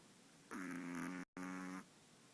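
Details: Five-month-old long-haired Chihuahua called Walter snoring: two loud, droning, rattly breaths of nearly a second each, separated by a brief silent catch.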